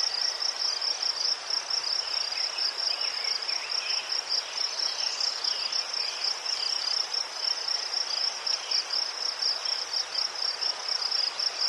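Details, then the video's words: Steady shrill cricket chirping from Ukraine among chrysanthemums, the rapid pulses rising and falling slightly in loudness in a rhythmic throb, with faint background chirps. "Заспокійливий звук цвіркунів//The soothing sound of crickets"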